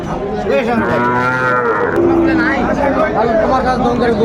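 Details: At a crowded Bangladeshi cattle market in December, Sahiwal bull calves give long, steady lowing moos, one high and sustained, another lower and falling, against dense background voices and market hubbub.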